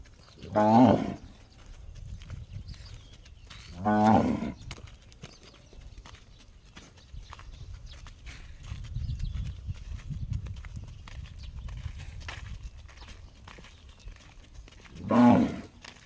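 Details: A cow gives an unusual call likened to a gong: three loud, harmonic, ringing cries, two close together near the start and one near the end, with quiet rumbling background noise between them.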